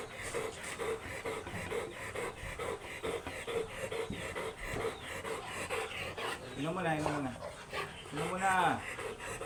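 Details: Large Golden Retriever at a stud service in Laoac, Pangasinan, breathing in rapid rhythmic pants through the first six seconds; a person's voice then talks over the panting near the end.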